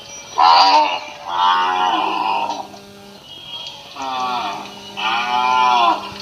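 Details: Indian cattle at a village farm in Assam, India, mooing in four drawn-out, harmonic-rich calls, each lasting about a second, some slightly rising then falling, separated by short pauses; a faint steady hum underlies throughout.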